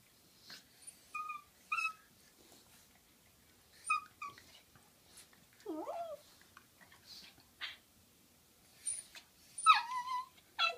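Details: Female dog wrestling playfully with another dog: short squeaky yips and bent, sliding whines scattered through the clip, separated by quiet gaps with soft rustling and panting.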